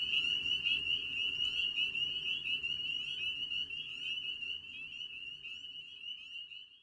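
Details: Spring peeper (Pseudacris crucifer), breeding chorus: males calling in spring to breed.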